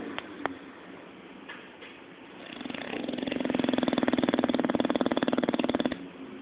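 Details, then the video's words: Zé, a pet Bulldog, snoring while asleep and dreaming indoors: a soft breath at first, then a loud rattling, fluttering snore that swells and holds for about three seconds before fading. "Bulldog Roncando"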